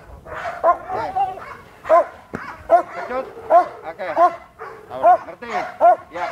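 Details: Ferocious training dog at Vom Almere Dog Training Centre going after a person accustomed to Pitbulls. Deep, forceful barks come in a fairly regular series, about one every 0.8 seconds, with voices audible between them.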